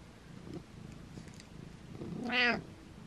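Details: Domestic cat giving one loud, drawn-out meow with rich harmonics that swells and then fades near the end, following a stretch of faint low rumbling and quiet background murmur.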